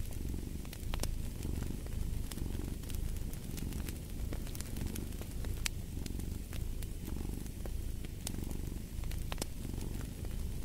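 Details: Domestic cat purring steadily beside a crackling fireplace. The low rumbling throb swells and fades in slow breathing cycles about every second and a half. Sharp pops and snaps from the burning logs cut through it.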